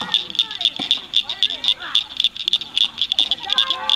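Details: A chorus of rare Blanchard's cricket frogs at Cricket Cove Park, Cygnet, Ohio, in May 2006, giving quick, hard, pebble-like clicks about four per second, over soft lower chirping calls.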